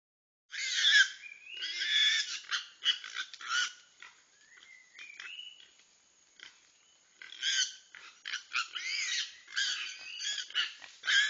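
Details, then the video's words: Babirusas in the Togean Islands fighting a reticulated python, the group moving in after two females drag the snake. Bursts of high, harmonic squeals come in uneven clusters, with a quieter gap in the middle and a thin steady tone above them. "Togean Islands babirusas fighting a reticulated phyton"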